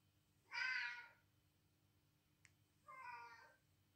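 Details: Female cat, edgy and curious, answering recorded cat calls while guarding her space; two bright, bleating meows about two and a half seconds apart, the first louder and higher, with a single sharp click between them.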